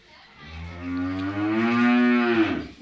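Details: Friesian cow in Pakpattan, Pakistan, giving one long, loud moo that starts low and rough and then swells into a strained, rising bellow with rich harmonics. It holds for about two seconds and breaks off sharply at the end.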